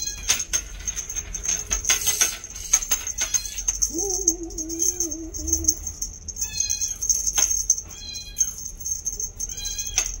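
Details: A 2-month-old female bi-lilac Scottish Fold kitten gives a drawn-out, steady meow, with jingling and a thin high whine around it.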